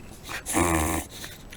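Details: Shiba Inu dog with bile reflux giving a single harsh, growly honking snort that lasts about half a second, low and buzzy with stacked tones, between quieter breaths.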